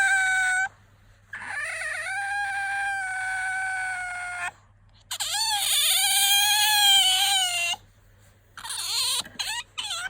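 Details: Bingo, a household otter, squeals when drowsy or wanting to be fussed over. Long shrill whines with dipping, warbling pitch come in several drawn-out bursts, ending in shorter broken squeaks.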